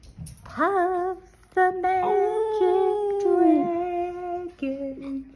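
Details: Boston Terrier just awake from sleep, singing along to music indoors: rising, wavering howl notes held about a second each, then a long sliding tone that drops lower, with background music and singing.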